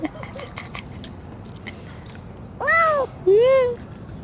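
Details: Injured, lame, hungry cat found crying near a neighbour's door, its cries due to hunger rather than injury: two loud harmonic meows, the first arched and falling, the second rising then held, after faint background talking.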